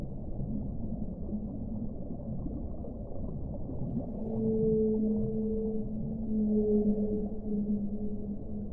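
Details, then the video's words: Whale sounding underwater: after several seconds of murky rumble, a sustained, slightly wavering tonal moan begins and carries on with layered harmonics to the end. "suono delle balene"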